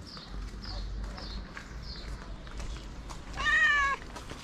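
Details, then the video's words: White cat meowing while asking for food: faint high chirps early on, then one loud harmonic meow near the end, over low background rumble. "A White Cat With A Cute Meow Wants To Get Food"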